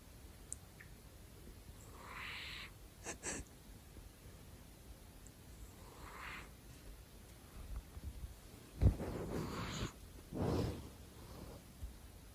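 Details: ['Male pet cat asleep indoors, snoring in breathy, airy rasps at uneven intervals, the last ones lower and louder, with a few small clicks and rustles nearby.']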